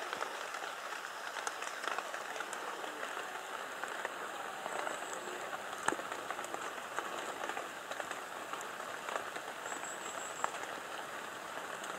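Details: Steady patter of rain on surfaces with scattered drips, and no animal calls.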